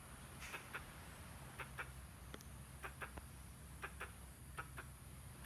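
A squirrel gives short, sharp chucks, often in quick pairs, over a low background rumble.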